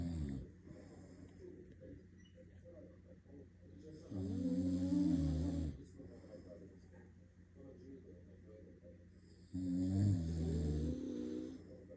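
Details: Shiba Inu dog snoring: two loud, raspy, buzzy snores, each lasting about two seconds and roughly five seconds apart, with quieter breathing in between.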